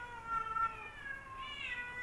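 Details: Rival male domestic cats that never got along; a single drawn-out tonal meow with layered harmonics, steady at first, then sliding upward near the end, over a quiet background.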